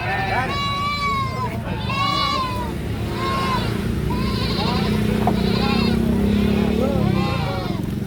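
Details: Goat, apparently a young one, bleating loudly: a run of about seven wavering, nasal cries, each under a second, coming in quick succession over a steady low rumble of background noise.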